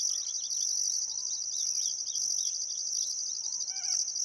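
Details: Summer sunset cricket chorus beside the Barcoo River in Welford National Park, Outback Queensland, Australia: steady high-pitched insect trilling, an upper layer pulsing on and off, with soft downslurred bird notes and a brief harmonic call near the end.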